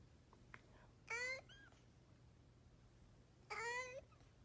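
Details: Two short, strained cat meows with a rising then steady tone, separated by about two seconds, over a faint background hum and a few soft clicks, described as a strange cat sound.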